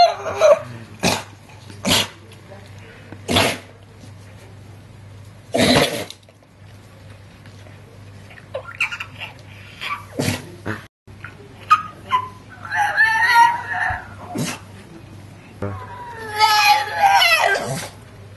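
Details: Male Staffordshire Bull Terrier, excited with children around, 'talking' while trying to get a child to share her cupcake: short bursts, then rising and falling whiny, moaning yowls toward the end, with a person talking and laughing nearby.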